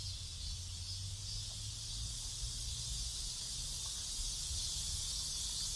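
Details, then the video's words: Cicadas in a neighborhood in South Korea, a dense, steady, hissing high-pitched buzz that holds unbroken throughout, over a low rumbling hum of distant traffic. "South Korean Neighborhood Sounds Cicadas"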